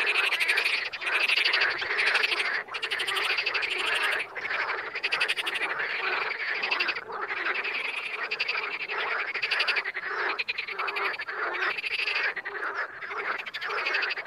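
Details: Frogs in the wild croaking as a crowded chorus: continuous rattling trills of quick pulses, rising and falling in bursts of a second or two, with no other sounds.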